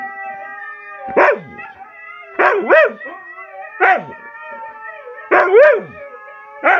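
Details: Siberian Husky song: sharp rising-and-falling yips roughly every one to one and a half seconds, sometimes doubled, over continuous drawn-out howling tones.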